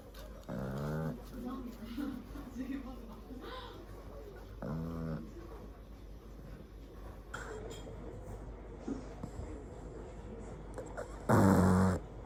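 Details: Pug crossed with toy poodle, a flat-nosed mixed-breed dog, snoring: harsh vibrating snores repeated about every four seconds, the last one louder and rougher, with faint indoor rustles between.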